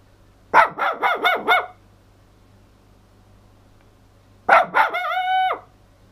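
A toy poodle gives a quick run of high yips, then more yips rising into a brief, steady howl.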